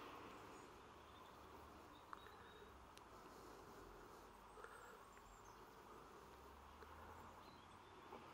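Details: Humming of bees on 28 September 2023, a continuous, even drone of many insects with a few brief clicks and faint higher chirps over a low background rumble.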